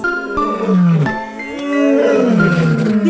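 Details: A lion (Panthera leo) gives a deep, rumbling roar that rises and falls over soft background music.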